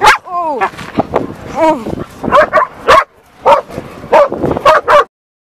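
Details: Dog named Shira in an excited greeting: a short whine sliding downward, then loud separate barks and yips spaced about half a second apart, with human voices between them before a sudden stop.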